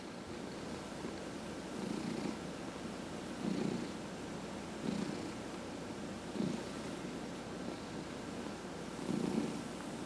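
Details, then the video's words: Domestic cat purring while being massaged indoors, one of four cats in the household; a steady low rumbling purr with soft swells roughly every one and a half seconds, following its breathing, with no other clear sounds. "Four Purring Cats — Cat Massage"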